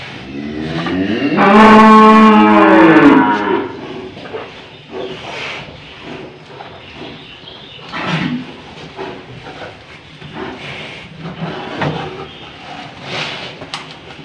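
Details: An old, tough cow moos while a nose rope is fitted: one loud, drawn-out harmonic low about two seconds long that rises then falls, followed by faint rustling and distant background noise.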